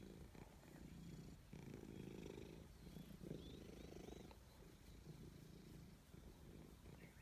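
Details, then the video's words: A forest-dwelling cat purrs as it is petted, a low throbbing drone pulsing in breath-long surges, with short bright bird chirps overhead around the middle and light rustling. "Petting a Cat in the Forest Natural Sound"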